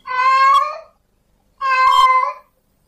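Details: Two long, steady, strongly harmonic yowls from a male domestic cat in heat summoning a female, each lasting under a second with a short silent gap between.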